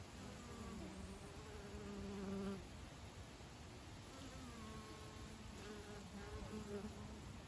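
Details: Honey bees carrying honey into the beehive, a soft overlapping droning hum with wavering buzzy tones from several insects passing close, over a low background rumble.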